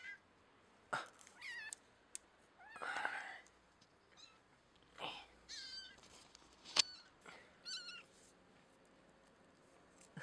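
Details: Kitten held immobile by a clothespin clipped to the scruff of the neck, a veterinarian calming trick called clipnosis, used for nail trimming; several short, high, quiet mews with upward and downward bends, scattered between soft clicks and handling noises.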